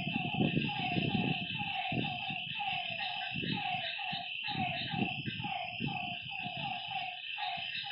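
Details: Frogs calling at night by a lakeside: overlapping mid-pitched notes, each with a slight downward bend, repeat about twice a second. A steady high shrill insect hum runs throughout, with low rumbling bursts beneath.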